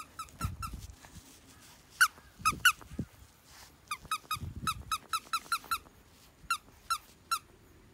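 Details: High, piping squeaks from French Bulldog puppy Red, Ebi's pup, repeated in rapid runs of short identical notes, with soft thumps and handling noises underneath.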